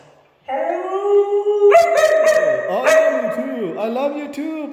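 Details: Vocal red female Siberian husky gives a sustained tonal howl that starts steady, jumps higher midway and wavers up and down in talking-like inflections before sliding lower at the end, with a woman's affectionate voice just outside.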